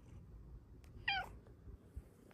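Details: Indoor pet cat making one brief, chirpy meow with a sharp start and quick fall, heard against a quiet room with faint handling noises and a woman's soft voice around it.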